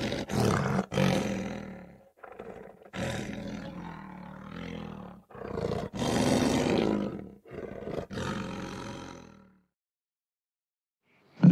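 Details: Long series of deep, rasping lion roars and grunts, broadband and full of low rumble, several loud bursts separated by brief breaths over about nine seconds before falling silent.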